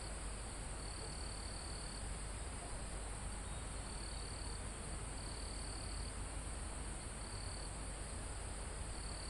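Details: Live sound of crickets in a calm forest high on a mountain: faint high trills come and go every one to two seconds against a continuous piercing insect drone and a gentle rustle of wind on leaves.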